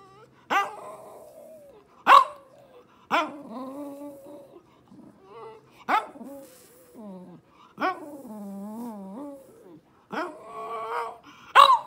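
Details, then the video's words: French Bulldog giving sharp barks about every second or two, each followed by drawn-out wavering grumbling moans, some rising and falling like talking, indoors and fairly close. "What do French Bulldogs sound like?"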